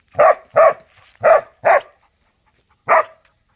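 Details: A dog barks steadily, four loud full-bodied barks spaced about half a second apart, then a brief silence before one last bark, with little else audible.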